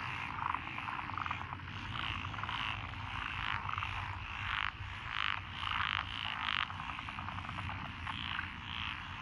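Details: Lotus rice paddies in Echizen, Fukui Prefecture, Japan, on 12 June 2021, full of calling frogs, including tree, pond, wrinkled, Schlegel's green and forest green tree frogs; loud pulsed croak bursts over a steady chorus, with a low rumble beneath.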